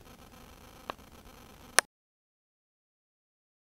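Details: Low room hiss with two sharp clicks, then complete silence, with no animal voice heard.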